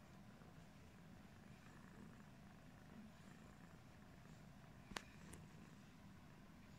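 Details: British Shorthair cat Pumpkin, yellow-coated, purrs low and evenly while washing its face; two quick clicks sound near the end.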